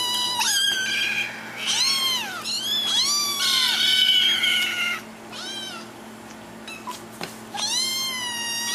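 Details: Kittens crying for their owners' attention with rapid, strident meows, some drawn out and wavering into a caterwaul-like wail, overlapping voices, a couple of clicks, then a final rising meow.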